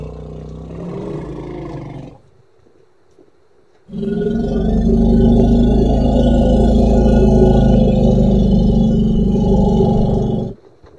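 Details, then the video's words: A playful baby elephant first calls briefly, then after a pause lets out a long, deep, harmonic roar of about six seconds with a steady rough pulsing. "A pretty baby elephant and such a defenseless hoot is not at all small"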